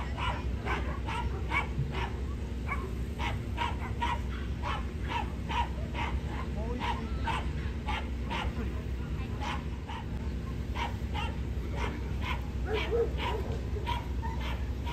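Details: Corgi at the Niigata Prefecture club federation dog show on 11 June 2022, during female judging and the Best of Breed round. Sharp barks come in a steady series about every half second, over a low constant hum and background chatter.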